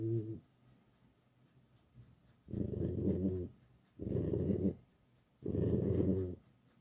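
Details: Indoors while being petted, the domestic fox Alice makes a short growl followed by three evenly spaced, drawn-out grumbling moans, each under a second, harmonic and rough.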